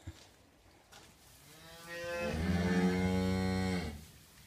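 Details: Galloway cattle in a barn, where a newborn calf has just arrived: one long, deep moo that swells gradually and holds a steady, rich tone for about two seconds before ending, over a quiet indoor background.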